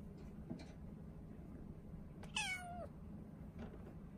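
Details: Ren, a four-month-old female Norwegian Forest Cat kitten kept in a cage, gives one brief, bright meow sliding down in pitch, seemingly begging to be let out, with faint rustling and a low indoor hum behind it.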